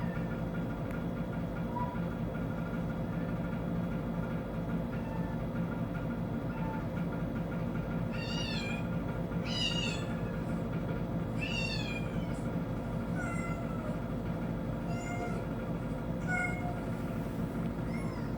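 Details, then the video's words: House cat reacting to kitten sounds coming from a TV; faint soft mews first, then a burst of shrill, wavering kitten cries mid-clip, followed by scattered quieter meows, all over low steady room noise. "My cat with kitten sound"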